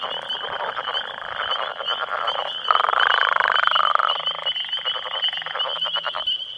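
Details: About ten male Northern Leopard Frogs call together in their territory in breeding season, near a road with spring peepers also active, giving rattling, growling, snore-like croaks to attract females amid territorial disputes.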